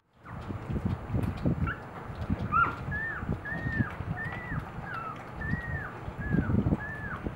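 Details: Newborn Boxer puppies two days after birth with their mother Eve at morning feeding, giving a series of high, arching whiny squeals about every half second, over rustling and shuffling noises.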